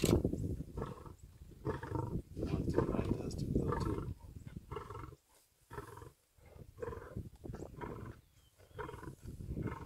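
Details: Lions of a large pride in Serengeti National Park, Tanzania, feeding on a baby zebra as the dominant male takes over the kill: rough, low growling and snarling in bursts, broken by short pauses, with faint human voices.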